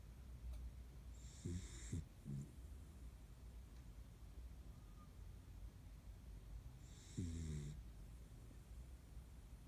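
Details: Kaninchen dachshund napping soundly beside a window at midday, part of a household of three dachshund sisters. Soft snorting snores come near the second mark and again around seven seconds, in a hushed room.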